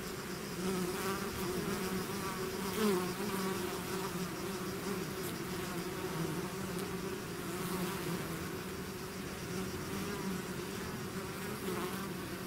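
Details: Outside the hive, a swarm of bees keeps up an unbroken buzzing hum. Its low tones hold steady while nearby fliers briefly waver and swell in pitch around the third second.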